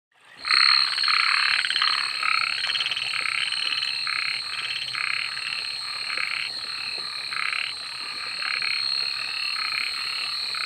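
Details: Frogs calling at night: dense, overlapping nasal croaks in rapid pulsed bursts, roughly four per second, running continuously over a steady high-pitched whine and a fainter, even higher hiss.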